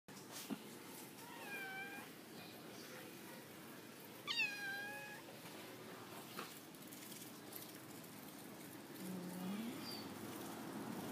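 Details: Indoor domestic cat giving high-pitched meows while two other cats act affectionate; a short meow near one second and a louder, clearer one around four seconds, then a soft low murmur near nine seconds over quiet background hiss.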